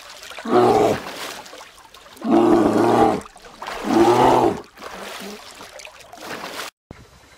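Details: Bear growling in three loud, rasping bursts about one and a half seconds apart, followed by a softer, quieter growl before the sound cuts off.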